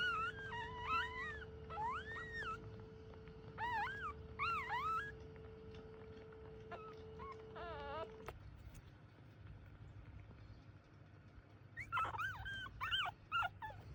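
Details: Chihuahuas in a large household give high, wavering whines and yelps in short clusters. A steady electronic hum runs through the first eight seconds, and a person's voice is also heard.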